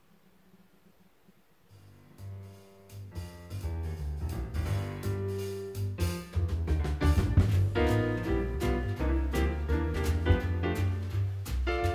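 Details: A jazzy track of piano, bass and drum kit builds up from near silence and fills the rest, with no animal sound.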